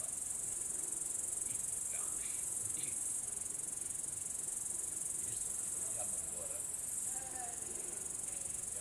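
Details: Late in the evening (22:41) on 3 August 2013 in Savonlinna, Finland, an upland green bush-cricket (Tettigonia cantans) gives a steady, high, hissing buzz without any break.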